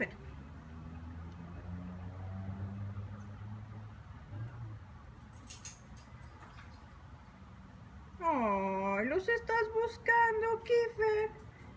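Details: Kiefer, a neighbour's dog alone all day, visits hoping to play; after low murmuring voices, a long whine swoops down and back up, followed by a string of short, pleading whimpers repeated about every half second.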